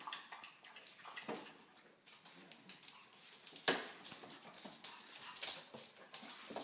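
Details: Pugs Dexter and Piper, indoors while watching over and playing with a baby, breathe in soft, noisy, breathy bursts. The rough huffs come irregularly, with a few sharper snorts standing out from a low hiss.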